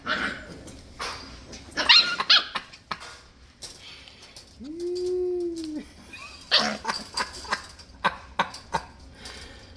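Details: Six-week-old Scottish Terrier puppies romping together; clusters of yaps and scuffles, a drawn-out arching whine in the middle, then rapid bursts of short barks, with a faint voice in the room.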